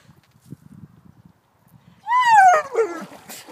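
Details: German Shepherd named Bella throws a fit when told it is time to leave the water: soft low grumbles, then a loud, drawn-out whine that slides downward and breaks into wavering cries near the end.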